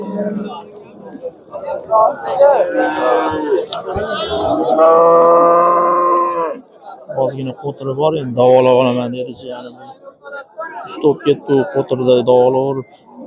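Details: Market cattle at the Andijan bazaar, Uzbekistan, amid falling bull prices: a loud, long moo of several seconds, followed by shorter broken lowing calls, with crowd chatter and clattering throughout.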